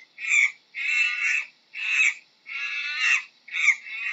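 A monkey gives harsh, raspy screeches in quick bursts, alternating short and drawn-out cries.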